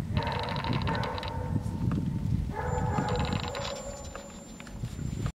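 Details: Playful six-and-a-half-week-old Golden Retriever puppies in snow give two long bouts of tonal, slightly buzzy whining yelps, with low scuffling noise throughout and a faint high whine near the end.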